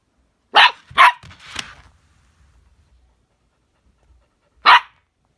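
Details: Indoor play between a husky and a chihuahua, both females: three quick sharp barks in a burst, a pause, then one more bark, with no other sounds.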